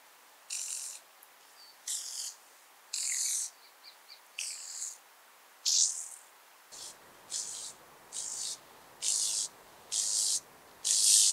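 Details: At Vorderriss, Germany, on 11 August 2022, a speckled buzzing grasshopper (Bryodemella tuberculata) sings in short, dry, rasping bursts repeated about once a second.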